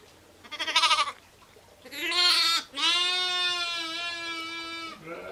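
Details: Ewes and lambs bleating: a short quavering cry, then a brief bleat, then a long steady bleat held for over two seconds, with faint background hum.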